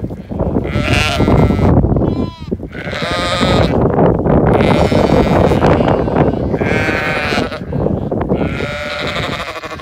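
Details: Zwartbles sheep at a regenerative farm in County Kilkenny, Ireland, hurrying to the evening meal; a flock bleats almost without pause, long wavering cries overlapping among strong low rumbling and hoof noise.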